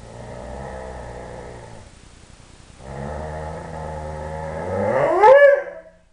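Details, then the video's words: Three-year-old Dobermann Tyson in a happy yodeling burst indoors: a sustained low, grumbling, harmonic moan, a brief break, then a second moan that swells and sweeps sharply upward into a loud, higher-pitched howl-like cry before stopping. "Tyson yodels"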